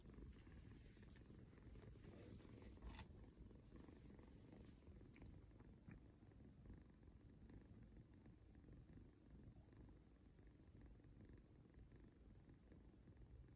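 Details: Cuddled kitten snoring and purring, a low muffled rumble that fades gradually in the second half, overlaid by occasional rustles and soft clicks.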